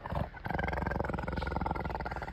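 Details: A leopard at Chandigarh zoo, India, gives a deep, rasping roar made of rapid, throaty pulses.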